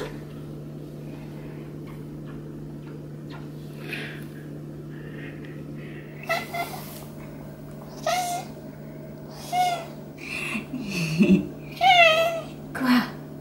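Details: Maine Coon Hélios, bred in the South of France, getting a massage: quiet rustling at first, then a run of bright rising-and-falling meows in the final seconds, one with a chirpy wavering tone, over a constant low hum.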